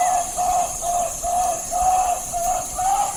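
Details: Titi monkeys in the Amazon rain forest of Ecuador chorus with steady, mellow hooting notes, about two per second, over a constant high hiss of insects, with birds also audible.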